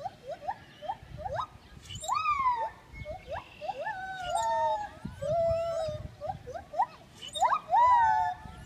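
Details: Gibbon song of swooping, upward-sliding whoops and longer level wails, clear and loud, several notes sometimes overlapping as if from more than one singer.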